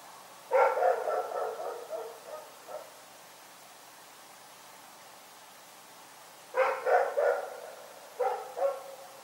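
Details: Rex, a dog, barking in the night: a quick run of about six sharp barks, a pause of several seconds, then three more and a final pair, all mid-pitched and punchy against a quiet background.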